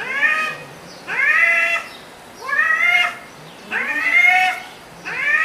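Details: Arguing cats trading bright arched meows, roughly one every second, evenly spaced and similar in shape, with quiet gaps of low noise between them.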